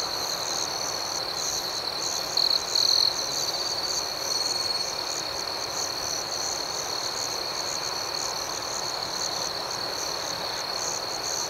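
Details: Crickets chirping at night in a calm outdoor setting: a steady, shrill, high-pitched trilling chorus with a fast, slightly uneven pulse that continues throughout, with a few brief brighter chirps near the start and no other clear sounds.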